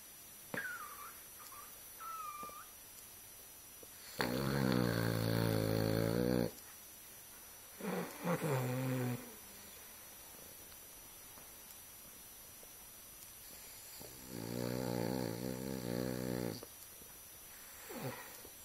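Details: Boston Terrier snoring while asleep with one eye open, indoors: long, droning, harmonic-rich snores lasting about two seconds each, separated by quieter breathing pauses, with a few short whines between them.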